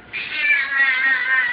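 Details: Domestic cat with a long, steady, whining meow lasting over a second amid sung music and a voice, followed by applause.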